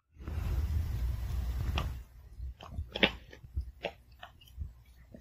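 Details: A Pomeranian dog chews its food one kibble at a time with crisp, irregular crunches after a short stretch of steady rushing noise, in a quiet home.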